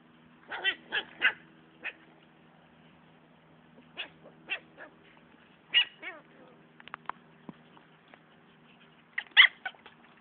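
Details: Siberian husky puppies fighting, letting out clusters of sharp high yelps and short barks in bursts of two or three, with a few whimpers and snarls between them and quiet pauses of a second or more.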